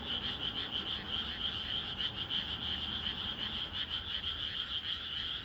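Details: Countryside frogs at night chorusing together. They give a shrill, pulsing trill that rises and falls about three times per second, with many callers overlapping continuously.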